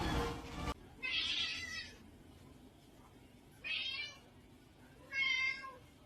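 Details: Pet cat from a comedy compilation giving three drawn-out, high meows spaced about two seconds apart, after a short loud burst of other noise at the start, with soft background music.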